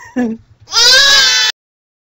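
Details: Goat kid giving a short low note followed by one long, strained, high-pitched bleat lasting under a second, then silence.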